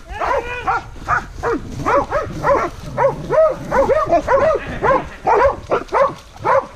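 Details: Pack of hunting dogs baying at a wild boar: dense, overlapping barks, roughly two per second, each with a sharp arched rise and fall, layered voices crowding each other with hardly a pause.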